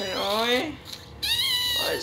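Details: Newborn Shih Tzu puppy crying: two drawn-out, harmonic-rich wails, the first rising then falling, the second high and steady, with a soft pause between them.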